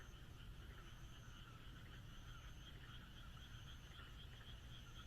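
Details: Night frogs in the countryside under moonlight, a softer trilling chorus of overlapping pulsed croaks, accompanied by intermittent faint high thin tones and a steady low rumble.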